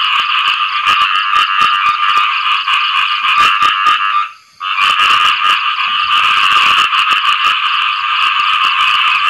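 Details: Mating call of a khiat i-mo frog after rain: a continuous harsh, fast-pulsed croaking trill that stops for a moment near the middle, then returns just as loud and steady.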